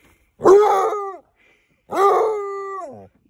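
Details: An almost 8-month-old male Basset Hound puppy gives two drawn-out, mournful howls that hold steady and then sag at the end.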